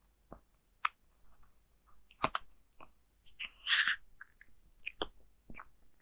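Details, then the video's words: Zayka the cat eating dry food, recorded indoors with no talking: sharp crunchy bites scattered through, with a denser rustling burst of chewing in the middle. "Zayka eating dry food CAT ASMT"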